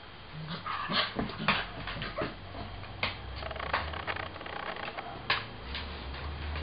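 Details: A three-month-old mixed-breed puppy plays with a Cocker Spaniel during bite-control training indoors; brief yips and whimpering cries, with a louder yelp near the middle, sound over thumps and low room noise.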